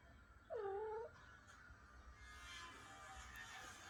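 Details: Cat named Lina, a mother being separated from her first kittens, gives one clear meow of about half a second, rising then falling, over faint background hum and noise.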